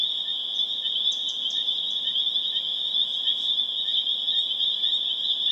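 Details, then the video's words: Spring peepers (Pseudacris crucifer) calling in a dense chorus on April 27, 2011, in Harvard, Massachusetts: a continuous wall of high, shrill peeping notes, with a few scattered higher chirps rising above it. "Spring Peeper Chorus Builds to a Crescendo"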